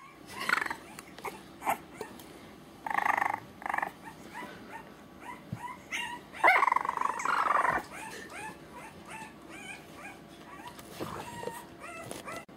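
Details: Mr. Orange is a three-week-old French Bulldog puppy who demands to be picked up. He keeps whining with high, wavering yelps and whimpers, with louder squealing bursts in the middle and shorter squeaks toward the end.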